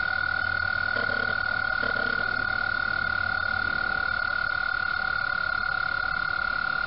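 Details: Spring mating chorus of frogs in a pond at Mt Gretna, their calls sending rings across the water; one continuous shrill ringing tone holds throughout, with soft clicks of camera noise near the start.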